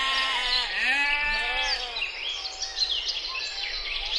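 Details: Mouflon, wild sheep, in forest and mountains; a few drawn-out, quavering bleats in the first two seconds, then scattered high chirps and calls from other animals.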